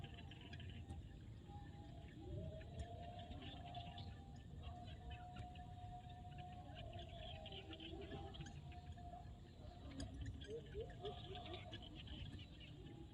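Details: Sunset in a Cambodian field, with many frogs giving long humming notes that overlap and shift in pitch, plus short rising phrases near the end, over a constant low background rumble and faint high clicks.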